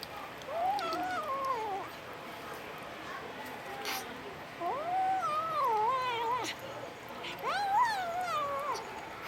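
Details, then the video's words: Domestic Short Hair kitten in the Philippines making funny sounds: three long, wavering, whiny meows that rise and fall, spaced a few seconds apart, over faint steady background hiss. "Kitten - Funny Cats! makes funny sounds"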